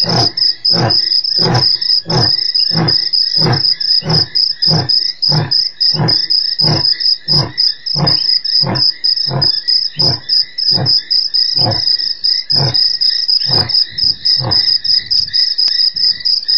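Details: Male lion on an African webcam, 3/04/08, giving a long steady series of short, deep grunts repeated about every two-thirds of a second, with a continuous high cricket chorus behind.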